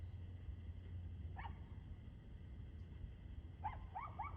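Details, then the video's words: Evening dog barking, 6:02pm on 2/6/2024: a single bark, a long pause filled with low droning noise, then a quick run of three higher yipping barks. "Barking Dog"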